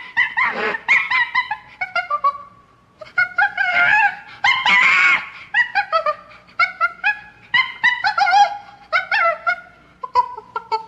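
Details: A chimpanzee (Pan troglodytes) gives loud, harsh screams mixed with shorter, rising yelps in quick bursts.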